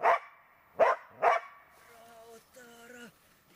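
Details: Tara, a Border Collie in search and rescue training, gives three sharp barks within about one and a half seconds, followed by a softer, drawn-out tonal whine with steady harmonics.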